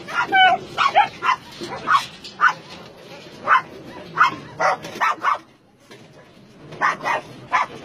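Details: Meat-farm and puppy-mill dogs in Nonsan, South Korea, January 2017, barking in spaced bursts; some yelps carry ringing, whining overtones, and a short pause falls near the middle, with a person talking in the background.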